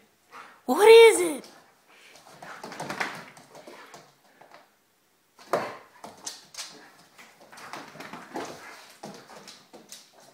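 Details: Vizsla indoors on a rainy day, wanting to play outside: one loud, harmonic, rising whine-bark near the start, then a person talking softly with scattered shuffling sounds.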